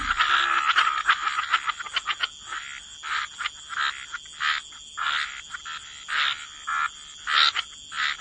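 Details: Frogs croaking by the waterside in a wetland chorus, short bursts of rasping croaks repeating roughly twice a second with overlapping callers, a steady high whine running underneath.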